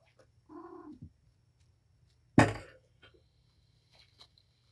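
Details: Domestic cat Patience, a mother of five kittens (four male, one female) at Purrfect Pals, wound up and playing with her litter indoors; one short tonal meow of about half a second, then a sharp loud thump and faint rustles.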